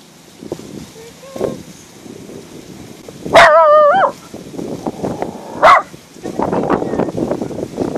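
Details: Max the dog sounds off at something in the sky: one long, wavering, harmonic yelp-bark lasting nearly a second, then a shorter sharp bark, with people talking quietly around it.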